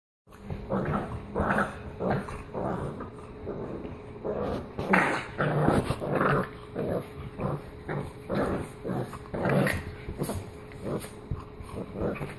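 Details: Pit bull playing defence like a boxer; continuous rough growling in short pulsed bursts, roughly one and a half per second, low and throaty throughout.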